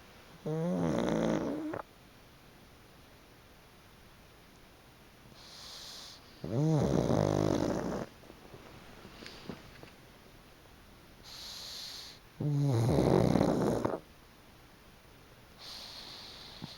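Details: Chicchi, a pug napping on a fluffy, freshly sun-dried futon, snores loudly: three deep, rasping, harmonic snores of about a second each, roughly six seconds apart, with faint breathy exhales between them in a quiet room.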